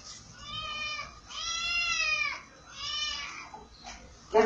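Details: Pet cat giving three drawn-out, wavering meows, each around a second long with a slight downward bend, in a quiet room, followed by a short human voice at the end.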